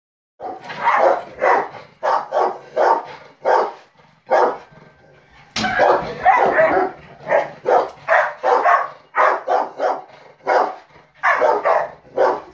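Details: Four Rottweilers barking because they dislike a fly swatter; deep, loud barks in quick bursts, often in pairs or triplets, several dogs overlapping, with a brief sharp clack midway.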